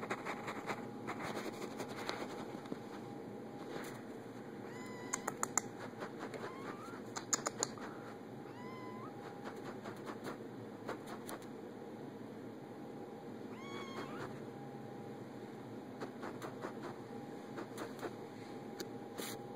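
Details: Playing kittens make short, scattered meows, some upward-curving and chirp-like, spread across the recording with long quiet gaps. Frequent clicks and tapping knocks, a constant electrical hum and soft room noise run throughout.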